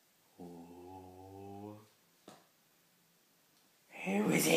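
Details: Pauly, a Beagle, gives his first howl, a habit he has learnt for howling at the neighbours: one steady, mellow, drawn-out tone of about one and a half seconds with a slight lift at its end, then a person's voice rising near the close.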